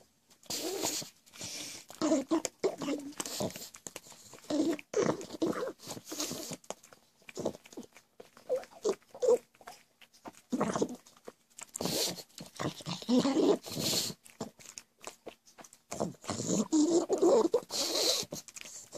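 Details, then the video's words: Gizmo the pug, a house pet said to make these goblin-like noises all day, gives short raspy grunts and snorts in scattered bursts indoors, with brief gaps between them, some human speech and handling noise. "CRAZY GOBLIN PUG.. WORLDS WORST SOUNDING DOG.."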